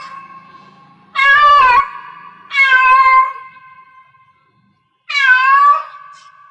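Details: Cat in heat producing three loud, drawn-out meows with wavering pitch, the first two close together and the third after a short pause, heard indoors.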